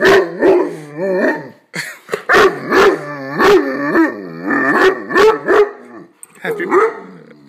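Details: A male pet dog barks a little on his birthday: a run of short, wavering, harmonic barks and yowls, several each second, with a brief pause midway and a person talking to him.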